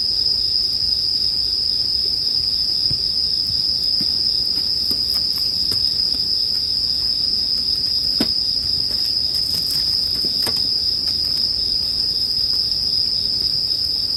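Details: Continuous shrill ringing of bell crickets paired with a crackling bonfire for relaxation; the high trill never pauses, while sharp snaps from the fire burst out here and there, clustered near the middle and end.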